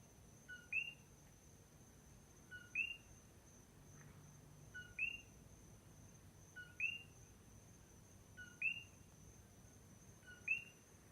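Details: A single coqui frog calling at night on the Big Island of Hawaii: two-note 'co-QUI', a short low note then a higher upswept whistle, six times, roughly every two seconds, over a steady high-pitched insect whine.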